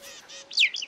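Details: A cheetah mother in the savanna gives one sharp, bird-like chirp sliding quickly down in pitch, a call she uses to direct her cubs, followed by a softer flicker over faint hiss.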